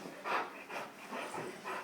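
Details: A dog named King, in training on a dangerous dog handling course at Pittsworth on 28 May 2012, gripping a bite sleeve on its fourth bite. It pants in soft, breathy bursts about every half second, with no speech over it.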